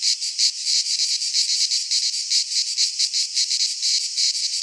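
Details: Cicadas singing in midsummer in a Greek pine forest: a dense, harsh buzzing chorus, high-pitched and continuous, pulsing in rapid regular throbs about three to four per second, with no other sounds.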